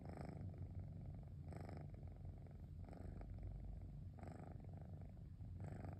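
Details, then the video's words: Cosmos the cat purring contentedly on a relaxing rainy afternoon, a continuous low engine-like drone with brighter pulses roughly every 1.3 seconds marking each breath, no other sounds. "Cosmos Motor-like Purring sound"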